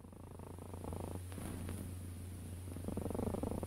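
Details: Close cat purr, a low vibrating rumble in fast regular pulses, with rhythmic phases swelling and easing over a few seconds.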